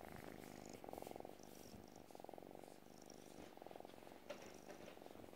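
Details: Close purring from a Burmilla or Asian kitten, one of three kittens currently seeking homes. A loud, buzzy purr swells and fades in repeated breath cycles about a second long, with soft rustles.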